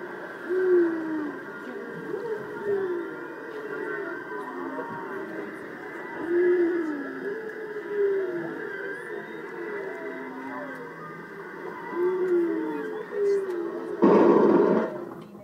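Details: Whales heard underwater off Maui, possibly including a baby whale, give low tonal moans that sweep up and down in pitch, repeated every couple of seconds.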